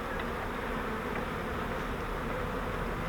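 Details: Swarm of honeybees taken from a custom flowerpot swarm trap and moved into a Langstroth hive, giving a loud, even, unbroken hum of the massed bees with no other clear sounds.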